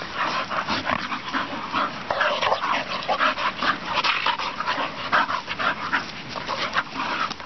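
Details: Young English Bull Terriers, a pair, play fighting on a farm field, giving a steady stream of harsh, breathy growls and snarls mixed with panting, with no pause between the rough bursts.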